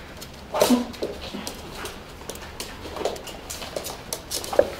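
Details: Tibetan Terrier at play indoors, giving a short sharp whimper and yip near the start, then scattered quiet whines and a final brief yelp, with soft shuffling and clatter between.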